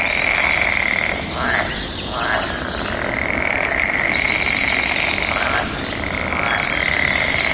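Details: Frogs calling back and forth in their mating season: a steady, high trilling chorus runs throughout, broken by several short, louder croaking bursts near the start and again around the sixth second.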